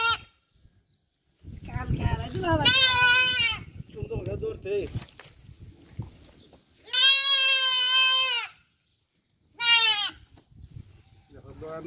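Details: Several drawn-out, quavering goat bleats on a desert farm in Qatar, overlapping with men talking nearby and general farm bustle.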